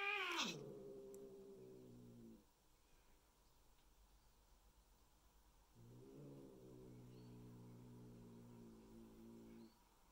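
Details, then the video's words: Resident cats meeting new Bengal kittens at home: a sharp, high cry drops abruptly into a low sustained growl, then after a pause a second long, steady growl follows in a quiet indoor room. "Introducing New Bengal Kittens To Our Adult Cats"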